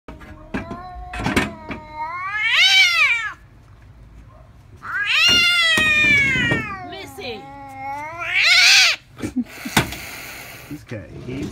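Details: A 16-year-old domestic cat that dislikes its owner's son gives long, drawn-out meows that rise and fall, with a harsher, higher wail near the end. Brief speech and clatter are heard between the calls.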